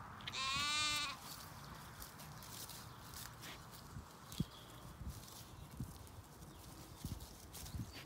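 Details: Lamb calling for its mother among a flock of ewes and lambs on a regenerative farm in County Kilkenny, Ireland: one loud, rich, wavering bleat lasting about half a second, followed by a quiet pasture with soft rustling and scattered thumps.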